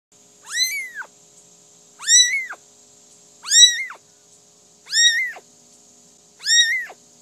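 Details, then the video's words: Kitten crying: five high, arched meows, each about half a second long, repeated roughly every one and a half seconds, clear and evenly spaced, with a steady faint whine in the background. "cute kitten crying"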